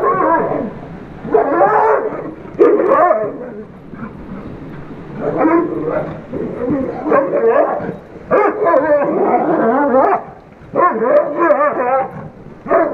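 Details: Two dogs, Iris the Weimaraner and Myrtle the Great Dane, playing together under a bridge: rough, growly barks and yips tumble out in irregular bursts, several per second, with brief lulls between rounds of play.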